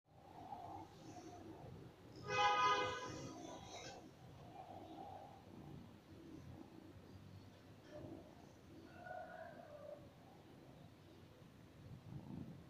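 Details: A black kitten gives one bright, high meow at night, wanting to play and keeping its owner from sleeping, over a quiet indoor background.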